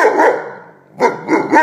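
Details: Weimaraner dog indoors barking at someone passing by outside, which he dislikes; two or three loud, rough barks about half a second apart, with a short gap between the first and the rest.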